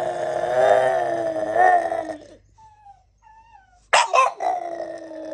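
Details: A French Bulldog that cannot stand cats gives a drawn-out, wavering, moaning bark, then a sharp yelp that slides into another groan.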